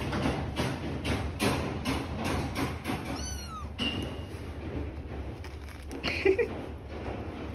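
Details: Kittens with their mother: one short, high, falling meow mid-way, surrounded by a run of soft clicking taps and low background hum.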